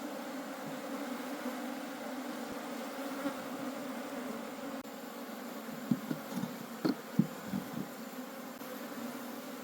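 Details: Wild forest honey bees buzz as a low, steady hum while their colony is harvested for honey and taken home, with sharp knocks and crackling handling noises in the final seconds.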